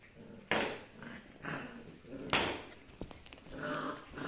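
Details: Rough Collie puppies aged 7.5 weeks, in a small room: two sharp yelping cries a couple of seconds apart, with softer whines and muffled growls between them.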